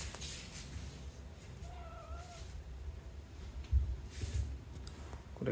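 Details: Female pet cat meowing, said to do so only when her owner is busy; a single short, smooth meow about two seconds in, over a steady low room hum with brief human voice.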